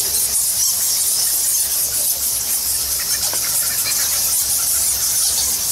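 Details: Bat colony of thousands inside Goa Lawah, a Balinese temple cave, giving a dense, continuous high-pitched squeaking hiss that fills the space without pause, with a faint brief rising squeak near the middle.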